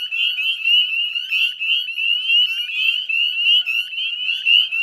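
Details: Spring chorus of northern spring peepers at a Nova Scotia salt marsh, West Chezzetcook, at dusk in May 2020: piercing upslurred peeps from many frogs, overlapping and surging in rhythmic pulses.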